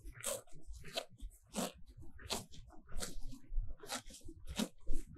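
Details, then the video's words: Happy cows feeding on fresh pasture grass in sunshine, captured at close range: rhythmic crunchy rips about every half second to second, with soft low chewing underneath. "Grazing cows - grazende koeien"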